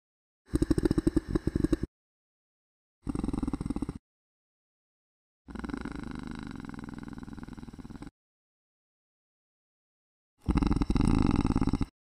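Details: Male koala singing very low, using an extra set of vocal folds for deep notes; four rasping bursts of pulsed, low-pitched bellowing, snore-like inhalations alternating with rougher belching exhalations, separated by silent pauses.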